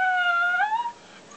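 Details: Dog answering its owner with a drawn-out, steady howling whine that bends upward near the end before fading, the owner remarking that it is tired after a long day.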